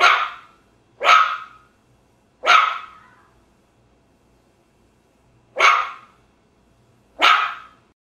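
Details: Small dog giving five loud, sharp barks, three in quick succession, then a pause of almost three seconds before two more, in an otherwise quiet setting.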